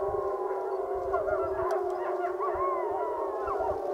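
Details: Wolves of the Wapiti Lake pack joined in a group howl; a steady low howl holds beneath several higher wavering, gliding voices, with faint thumps or rustling underneath.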